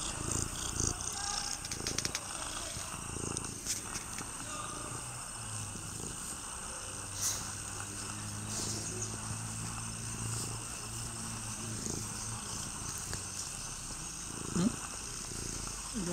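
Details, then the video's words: Orange stray cat that climbed onto a person's lap, purring steadily: a low, continuous, pulsing rumble that swells in the middle. Faint rustling and handling noises run underneath. "무릎위에 그릉그릉 길고양이"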